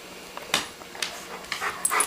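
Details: Older pet dog Coco asking for food: short, sharp whimpering yips and snorts, irregular and clipped, in a quiet room as an owner asks whether he wants his food.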